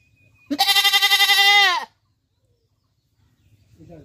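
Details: One long, strongly quavering goat bleat, loud and steady for over a second, then tailing off; a faint low sound follows near the end.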